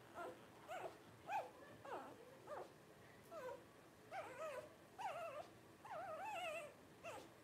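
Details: Litter of five Blenheim Cavalier King Charles Spaniel puppies, 12 days old, parents Paris and Spike: a string of about ten short, wavering whimpers and squeaks, roughly one every half second to second, some warbling up and down.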